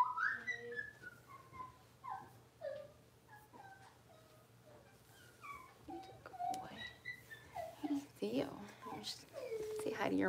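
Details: Six-week-old blenheim Cavalier King Charles Spaniel puppies from a litter of five, born on New Year's, in an indoor puppy pen at home: rapid high squeaky whines, many falling in pitch, overlapping, rougher and louder whimpering toward the end.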